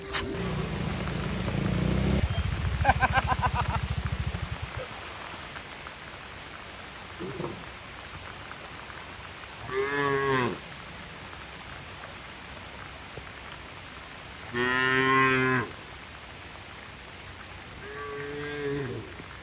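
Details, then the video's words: Cattle being herded home to their shed through heavy rain in the countryside: three or four short, harmonic moos spaced a few seconds apart, over steady rain hiss and a burst of rain noise at the start. "Bunyi sapi lucu"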